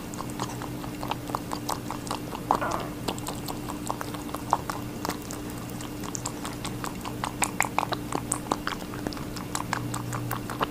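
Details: Rabbit eating a watermelon, a steady run of crisp, wet crunching clicks and small bites through the whole stretch, over a constant low electrical hum in a quiet indoor space.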